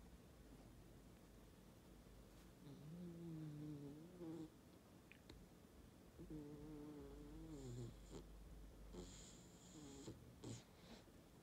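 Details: A dog snoring in deep sleep after a long, playful walk, indoors; rough low snores with tonal wavering rise in two long bouts, the second ending in brief higher squeaks, between quiet pauses.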